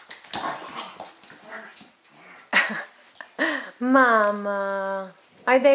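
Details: Twelve-week-old golden retriever/German Shepherd mix puppy, 30 pounds, in foster care in Troy, Illinois, playing with pals indoors: brief scuffling yelps, then a drawn-out steady whine lasting over a second, with people talking around it.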